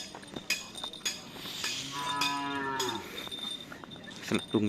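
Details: Cattle at karapan sapi bull race training in Pamekasan: a single short moo about a second long amid cowbell jingling, clinks and crowd noise.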